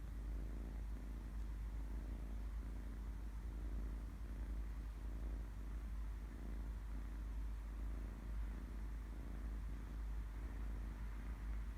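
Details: A sleeping kitten purring: a steady, low rumbling drone with a soft, even pulse that runs unbroken through the whole stretch, with no other clear sounds.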